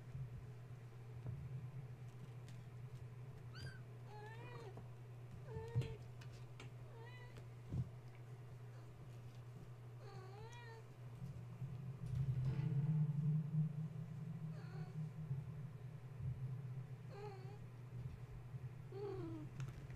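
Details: Wound-up kittens of Gaia the cat, kept awake at bedtime after a space heater was plugged in, refusing to settle for nursing: repeated high, quavering mews every second or two, with a droning low hum that swells midway.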